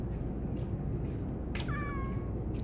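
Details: A house cat responding vocally to its owner with a short, downward-bending meow about half a second long; soft clicks and a low hum are heard in the background.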